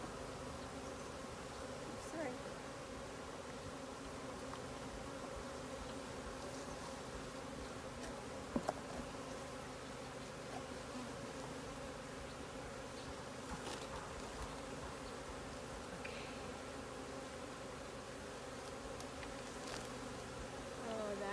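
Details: Swarming honey bees being caught at a sanctuary in April 2018, a dense, continuous droning hum of many wings holding steady for the whole stretch, with a few faint knocks and clicks in the background.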